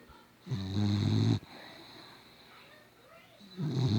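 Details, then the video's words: Sleeping dog giving very loud snores: a harsh, buzzing, rattling snore just under a second long, a quiet gap of two seconds, then the next snore begins. "never heard a dog snore so loud before"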